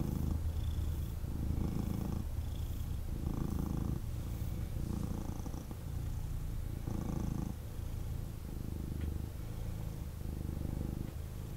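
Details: Male kitten cuddled in its owner's arms, purring hard: a dense low rumble pulsing roughly every one and a half seconds as it breathes in and out, with faint handling noise.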